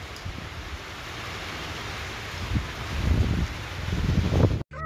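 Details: Typhoon Karding in the Philippines brings steady low rumbling wind with rustling gusts that swell toward the end, followed by a sudden brief dropout; no animal voice stands out.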